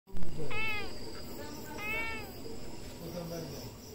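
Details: Cat giving two quiet, arching meows about a second apart, each rising then falling, over a heavy low rumble and hiss.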